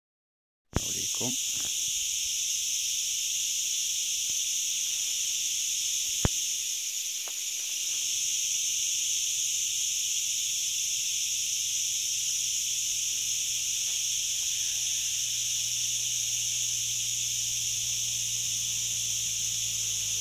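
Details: Forest crickets near Ghafsai and Ourtzagh in Taounate province, Morocco, keep up an unbroken, even high buzzing chorus throughout, after a sharp tap near the start, with a low faint hum in the background.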